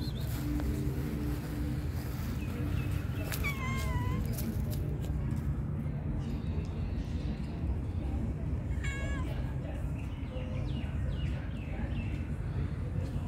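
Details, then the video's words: Sweet meows from a pregnant calico cat, one drawn-out wavering meow early on and a shorter pair later, with a constant low-pitched rumble underneath throughout. "amazing calico was pregnant and meowing very sweetly."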